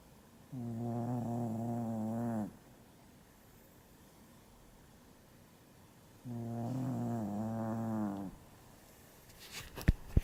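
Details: Sleeping dog, worn out and oblivious to the camera, snoring in two long, humming, slightly wavering breaths about six seconds apart, with soft room noise between and a few clicks at the end.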